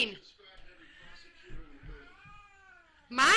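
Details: Pet cat talking to its owners indoors, a long drawn-out meow with a rising then gently falling tone across about two seconds, soft bumps and rustling underneath, a woman's voice breaking in at the end.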